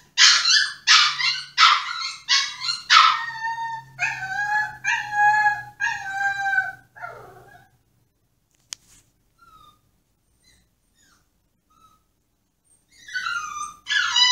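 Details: Yoshi, a Pomsky caged and demanding release, gives rapid yelps that turn into a steady wavering howl, then near silence with a click and faint whimpers before loud whining returns at the end.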